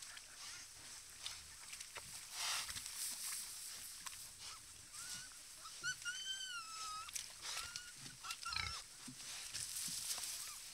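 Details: Wild boar herd at a mud puddle: scattered low, rough grunts among rustling and splashing bursts, with a brief run of high, wavering squeals in the middle, over a steady hiss.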